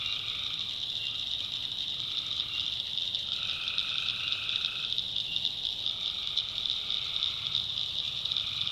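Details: Swamp at night in the backwoods of North Carolina, where tree frogs give short nasal calls in turn, about one every second or so, layered over a continuous high-pitched insect-like drone.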